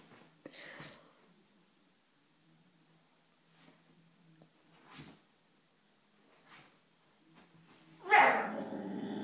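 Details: Female Siberian husky indoors on a sofa, annoyed while trying and failing to cover an unwanted bone with a blanket: soft rustling and faint low whines, then a sudden loud, harsh, drawn-out vocal outburst near the end.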